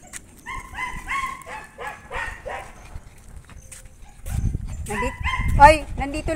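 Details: Aspin native dog noisy inside a house: a quick run of sharp, tonal yelps for about three seconds, then a person's voice speaking over further barks.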